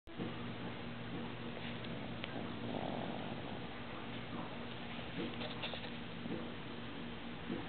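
A Boston Terrier snores in a steady, low, rumbling drone with soft wheezy breaths.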